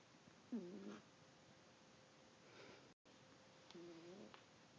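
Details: Sleeping pet cat Sylvester gives two soft, buzzy snoring breaths a few seconds apart, with a brief cut in the sound between them.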